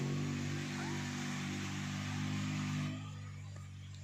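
A steady low mechanical hum with broadband noise fills the recording, with no animal voice.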